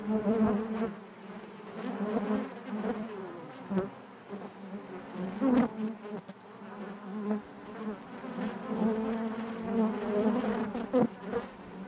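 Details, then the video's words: Honey bees humming together in their hive: an unbroken low drone that gently rises and falls in loudness, with occasional brief buzzes of bees passing close by. "bees therapy hive natural buzzing sound"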